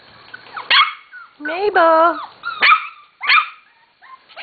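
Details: Corgi puppies nearly seven weeks of age, from the Katie and Venus litters, make loud drawn-out whines that bend up and down, then sharp yelps, with a person talking nearby.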